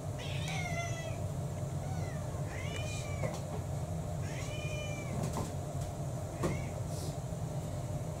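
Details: Indoor pet cats during a day's feeding, breakfast to dinner, in a six-cat home: four or five short arched meows roughly one to two seconds apart, with clicking and a constant low droning background.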